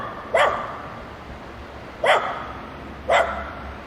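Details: Dogs playing together, giving three single sharp barks spaced about one to two seconds apart against a quiet, faintly humming background.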